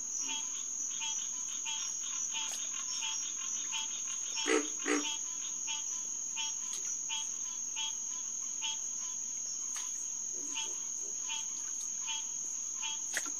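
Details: Chorusing green tree frogs, Hyla cinerea, at the Headquarters Pond of SMNWR on a June night in 2021. Rapid, overlapping honking notes repeat many times a second, with a sustained high-pitched insect tone and a couple of deeper croaks near the middle.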